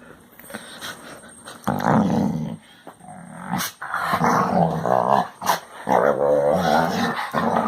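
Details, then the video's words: Domestic Basset Hound indoors producing varied vocal noises: rough growling grumbles mixed with drawn-out moaning whines in bursts of a second or two, with brief clicks and pauses between. "Popis hace ruidos de Basset Hound."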